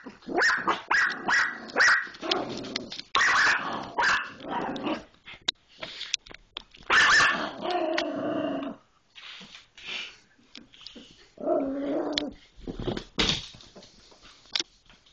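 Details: Pit Bull fighting an Irish Jack Russell Terrier; bursts of snarling barks and growls come in clusters separated by short pauses, ending in scattered sharp barks and quieter rumbles.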